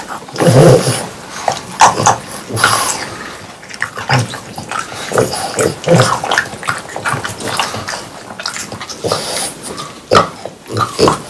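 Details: Three French Bulldogs chomp and slurp juicy watermelon on a hot summer day, with wet crunching bites and snuffling breaths.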